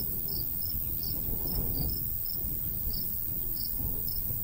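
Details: Summer countryside cricket by a golden wheat field, making sparse, separated high chirps about once every half second against a steady, rumbling light breeze.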